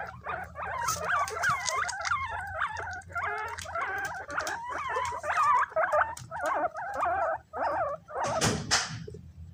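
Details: Several pet guinea pigs fight over bananas they have been given. They make a rapid run of high, wavering squeals, each with bright overtones, repeated almost without pause. A burst of clatter comes near the end over a low steady hum.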